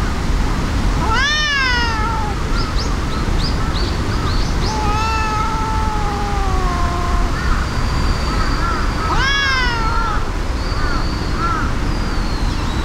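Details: A brown tabby-and-white cat and a brown tabby fighting, the first furious: sharp rising-falling yowls at about one and nine seconds, with long drawn moaning cries between them, over constant low-pitched outdoor rumble.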